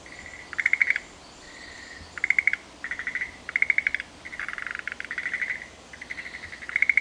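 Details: Several frogs trade calls in the Shuheki-en garden of Sanzen-in, Ohara, Kyoto: overlapping high trills of rapid pulses alternate with longer even tones, nearly continuous across seven seconds, with a faint hiss behind.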